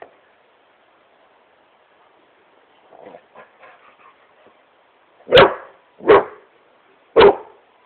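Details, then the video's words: Playful Great Pyrenees called Smokey on his couch indoors, giving three loud deep barks about a second apart after quiet rustling and soft snuffling sounds. "Great Pyrenees smokey barking at couch"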